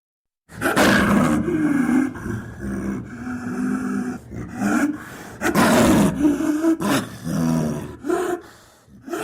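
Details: Snow leopard (Panthera uncia), a large cat native to the mountain ranges of Central and South Asia, gives low, moaning yowls with breathy, rasping edges in short repeated bursts.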